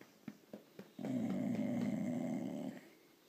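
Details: Indoor grunting from a female blue Irish Staffordshire bull terrier seeking petting or attention: a few soft clicks, then a sustained low rasping snore-like grunt of nearly two seconds.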